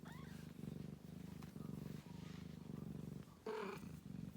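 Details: Ragdoll kittens with their mother, kept warm on cold days and nights; steady low rhythmic purring pulses through most of the clip, with a brief higher mew-like sound near the end.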